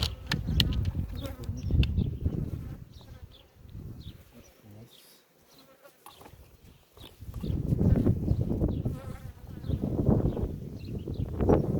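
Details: Honey bees at an opened hive during a queen check after the honey harvest, Ceyhan village, on a windy day: a steady low hum of many bees, swelling and fading, with wind rumble, a lull near the middle, and brief handling noises.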